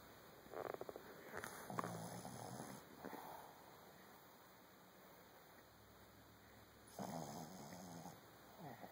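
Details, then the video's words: Boston Terrier snoring: rough, raspy breaths in bursts near the start and again late, with quieter breathing between and a faint steady background hum. "Boston terrier snoring"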